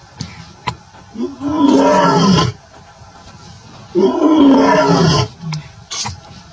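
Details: A male lion with his lioness in the Maasai Mara, Kenya, on 12 September 2024 gives two deep, rough roars, each swelling and lasting about a second.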